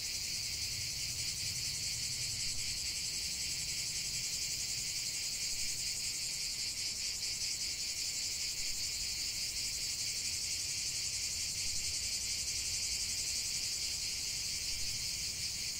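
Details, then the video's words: A chorus of singing cicadas, many insects merging into one loud, constant high-pitched drone with fine rapid pulsations and a faint low hum early on. "45 min de chant des cigales"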